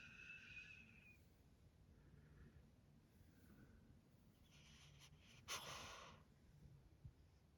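A sleeping Pekingese puppy gives a thin, high whimper, then soft snorting, wheezy breaths.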